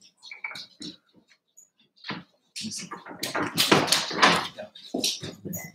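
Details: Cavalier King Charles Spaniel puppies Cooper, Conner and Jenny, born 06/09/2022, Ruby and Blenheim coats, indoors overnight on 8/27: scattered soft whimpers building into a dense burst of yelps and squeals, with rustling bedding.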